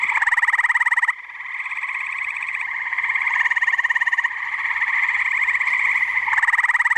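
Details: Chorus of tree frogs at a New Jersey pond on a muggy night, many voices blending into a steady rapid pulsed trill, with a brief dip in loudness before the full chorus swells back.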